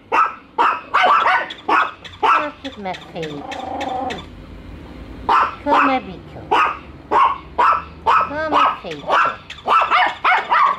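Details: Two pet dogs, Bico and Faith, barking constantly at their first meeting with a toy dog; sharp repeated barks in quick irregular bursts, with a short stretch of lower voice-like sound in the middle.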